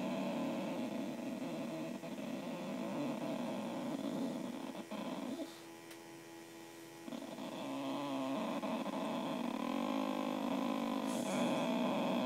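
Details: Female Boxer called Missy indoors, arguing with her owner, giving a rough continuous rumbling grumble with a throaty pulsing texture, briefly dropping away midway before resuming; steady hum in the room.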